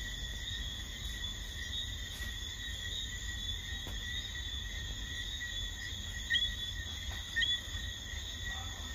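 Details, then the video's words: Jamaican whistling frog giving two brief, sharp, upward-sweeping whistled notes about a second apart late in the recording, set against a steady, droning insect chorus of sustained high tones and a low background rumble. "Jamaican whistling frog"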